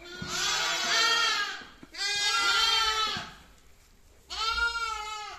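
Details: Young lamb giving repeated quavering bleats, three long nasal cries each lasting about a second or more, with brief silences between.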